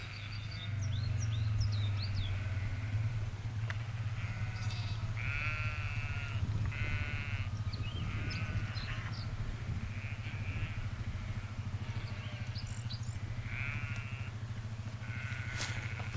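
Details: Flock of sheep being gathered by a farmer and sheepdog in a field near Dufton, Eden Valley, Cumbria: many overlapping wavering bleats from several animals, some nearer and louder, over steady low wind rumble, with faint high chirps.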